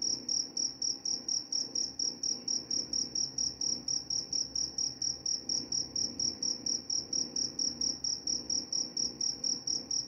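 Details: A cricket keeps up a piercing, high trill broken into quick, even chirps, several each second, sustained without pause over faint low-frequency room noise.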